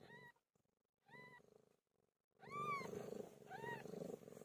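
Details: Pet cat named Pilo during birth: short rising-falling meows break over a steady low rumbling purr, the meows growing longer and louder toward the end with brief silent gaps between them.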